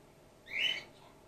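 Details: Grey-headed flying-fox pup named Gwickle, in care on day 2 and bottle support-fed after her concussed mother lost her milk; one short, high squeak that rises and falls within a fraction of a second against a quiet background.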